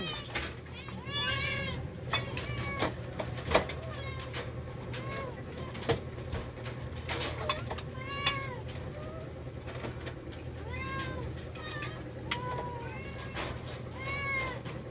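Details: Several rescued cats at feeding time, one after another, give arched, wavering meows, many of them high and drawn out. A woman calls to them in Filipino, with a low steady hum and occasional clicks underneath.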